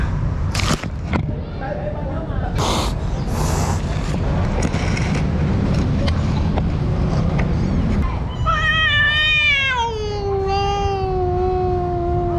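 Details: Street cat, a mother caring for her kitten, in a fight with another cat: a long drawn-out meow slides downward and levels off near the end, over steady low traffic-like rumble and earlier scattered chatter and knocks.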